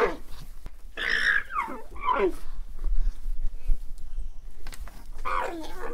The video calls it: Som de alpaca 🦙 Alpaca sound